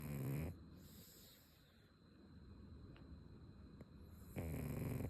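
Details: A pug named Ume snoring again after a long while: two short, rough, low rumbling snores, one at the start and one at the end, with quiet breathing between them.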